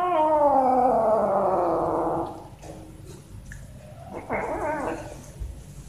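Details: A cat climbing for food gives one long, drawn-out meow that slowly falls in pitch over two seconds, then a quieter, wavering short cry after a pause, with faint background clatter.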